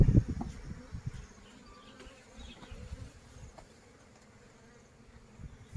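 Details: Wild honey bees taken from a plantation colony during a natural honey harvest, a loud close buzzing burst at the start that fades into a softer, steady low hum with faint passing whines.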